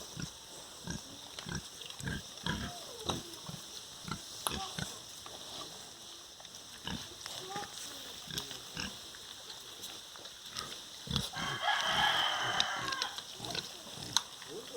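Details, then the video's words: Sow with piglets on a farm: a run of short, rough grunts repeated irregularly, several a second, with a brief burst of higher squealing near the end. "Som do Porco, Real Animal Sound: Pig. Som real dos animais: Porco, leitão, porca."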